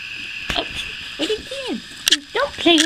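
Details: Morning whimpers from two-week-old puppies whose eyes have just opened: a series of short squeaky cries, some sliding downward in pitch, spaced unevenly over a few seconds, with soft clicks and a low constant hum behind.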